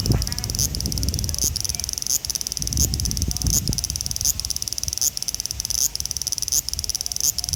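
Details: Male large brown cicada (Graptopsaltria nigrofuscata), Osaka city, 5 August 2019, Xperia XZ1 recording: a steady high buzzing hiss broken by short rising accents roughly every 0.7 seconds, over intermittent low rumble.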